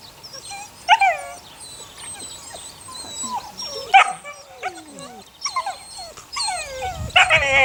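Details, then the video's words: Eight-week-old puppies, six in the litter of the neighbour's dog Sunny, giving high whining whimpers and sharp yelps with falling pitch, scattered irregularly, several overlapping, with a bright louder burst near the end. "Sunny's Kids 6 Welpen / puppies"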